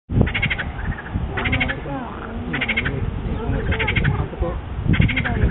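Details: Small frogs at a wetland centre give pulsed, buzzy croaks in short bursts, about one per second, five in all, over a low rumbling background.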